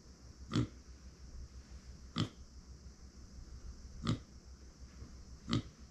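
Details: Female micro pig named Uni, born September 2020, kept indoors as a pet, calling when nobody is beside her: four short, abrupt grunts spaced roughly one and a half to two seconds apart over a steady low room hum.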